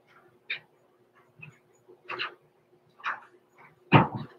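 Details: Six-week-old blenheim Cavalier King Charles Spaniel puppies, Roman and Blue, born November 14, 2022, overnight in an indoor home puppy pen. Short whimpers and yips come in about five separate bursts over four seconds, the last loudest, over a steady low hum.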